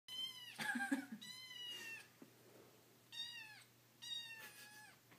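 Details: Yumi, a hungry kitten, is especially eager one morning and loves lemon cupcakes. Four clear, high meows come in pairs of brief, slightly falling cries, with a soft rustle between them.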